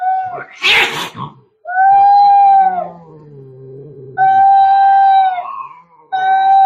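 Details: Very angry cats fighting: a sharp hiss bursts out early, then come long, tense, level yowls, with a lower growling moan trailing between them.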